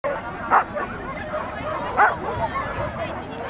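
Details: Norfolk Terrier at an agility event on 28 March 2009, giving two sharp, short barks about a second and a half apart over a steady background of crowd chatter and murmuring voices.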